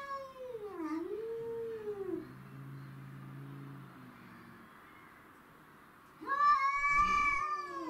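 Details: Domestic shorthair cats Tom and Mimi clash with a grey and white neighbourhood stray over territory; a wavering yowl dips and rises, sinks into a low rumbling growl, then a sudden loud screaming howl erupts.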